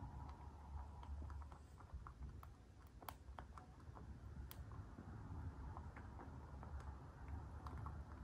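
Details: A dwarf mini lop rabbit eats happily and crunches its food noisily, giving a quick irregular patter of crisp, crunchy chewing clicks over a steady low rumble.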